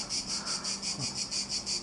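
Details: Cicadas in a cedar about 15 metres tall beside a villa, more numerous than before, sing in a sunny, loud, high, rasping chorus pulsing steadily about four times a second.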